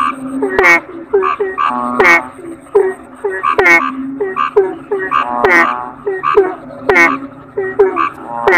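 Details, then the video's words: Toads called kodok bangkong croak in quick, overlapping series of twangy, overtone-rich notes, now and then rising into a rattling trill, the chorus pulsing without a break over a faint high tone. "Suara Kodok Bangkong"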